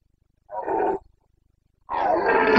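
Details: Carpathian red deer stag during the Bucovina rut (boncănit), late September 2022, gives a short gruff roar and then a louder, longer, rougher bellow after a one-second pause.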